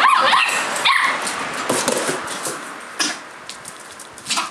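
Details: Outdoor collie puppy aged 57 days, recorded 9 March 2012, gives high yelping barks in the first second, followed by fainter scattered yips and rustling.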